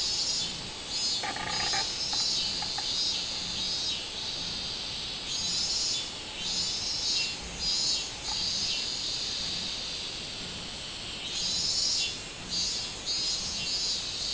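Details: A robust cicada (minminzemi) gives a loud, shrill buzzing song that swells and fades in regular pulses, recorded 24 July 2016.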